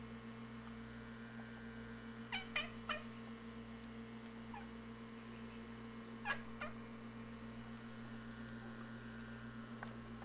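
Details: Feral cats watching a robin in the yard through a front window give quick triple-clicked chattering chirps, one cluster early and another a few seconds later, then quiet stretches over a steady background hum.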